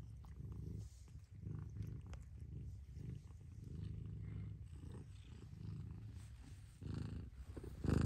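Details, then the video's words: Mother cat purring in low pulsing waves, the rumble briefly breaking near the start, ending in a sudden loud thump. "Mother Cat Purrs"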